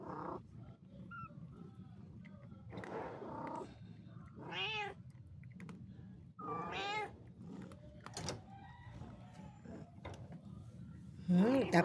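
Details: Pet cat producing scattered meows, several bright arching cries with rich harmonics separated by pauses of one to two seconds, amid household clatter and low hum, a final call cut short at the end.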